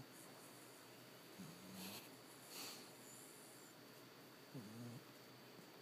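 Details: Charlie, a sleeping puppy, snoring softly: two low, rasping breaths about three seconds apart, each lasting roughly half a second, over a steady faint hiss with a thin high tone in the background.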